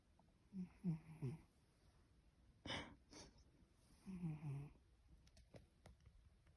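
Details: Masaru, a pet cat, asleep indoors while having its nose and cheeks gently tickled, gives a snuffling, human-like snore: two low, rough snoring bursts a few seconds apart, with a sharp noise between them and faint clicks afterward.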